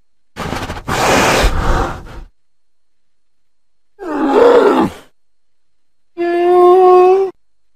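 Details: Bear growling in the woods by a house: three separate vocalisations with silence between, a harsh noisy roar, a rougher wavering growl, and a final drawn-out tonal groan.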